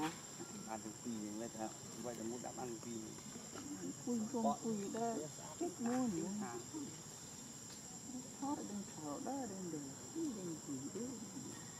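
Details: In Cambodia, a baby monkey gives wavering, whimpering cries, calling out to find its mother.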